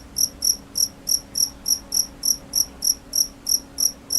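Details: Steady cricket chirps, high and piercing, repeating evenly about three times a second with no other sounds.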